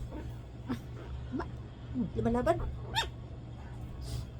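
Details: Ichiko, a two-month-old female Shih Tzu puppy, worked up and fighting back during play, makes brief squeaky whining and growly noises in a quick cluster midway, with a person talking in Filipino around her.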